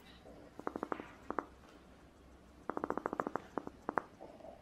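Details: A relaxed pet rabbit (Oryctolagus cuniculus) tooth-purrs, soft dry clicks in quick bursts made by lightly grinding its teeth, a sign of contentment rather than distress.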